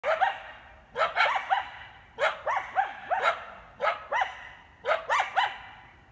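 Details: A pack of coyotes, come down from the Griffith Park hills to Canyon Road near the park entrance to protect their territory at night, giving clusters of sharp barks and rising yips in bursts roughly every second.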